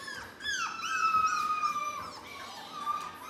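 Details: Litter of seven black British Labrador puppies, four weeks old, crying in a chorus of drawn-out, wavering whines and short falling yelps that overlap continuously.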